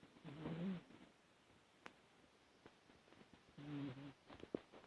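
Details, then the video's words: Two snores from a dog: each is a half-second low, buzzy, droning breath, spaced about three seconds apart, with soft clicks and rustles between them in a quiet room. "코고는 개 snoring dog"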